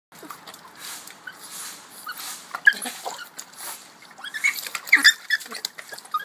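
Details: Penelope, a female Boston Terrier bobbing for her ball in water, gives short, high whimpers and whines of frustration because she can't get it, over steady splashing water.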